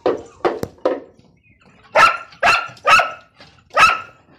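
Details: Pakistani Bhagyari dog, a guardian breed, barking: three lower, shorter barks, then four loud ringing barks spaced about half a second apart.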